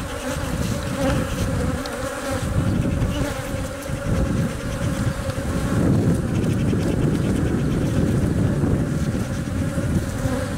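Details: Inside a honey bee hive, workers protect and feed the egg-laying queen; a buzzing hum sits under heavy, continuous low rumbling that partly masks the drone for the whole stretch.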